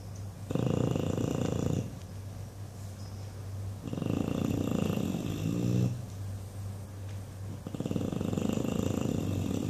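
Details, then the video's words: Dreaming English Bulldog Buddy snores loudly while sleeping indoors. Three long, raspy snore bursts with flapping, lip-rattling texture alternate with softer breaths, all over a constant low background hum. "Flappy Bulldog snoring and dreaming"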